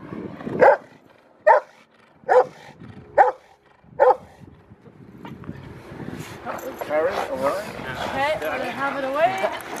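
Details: Rottweiler Freya vh Odoms at the Victoria Rottweiler Club in Australia, 15 February 2020: five loud, sharp barks spaced under a second apart, then overlapping crowd chatter takes over for the rest of the recording.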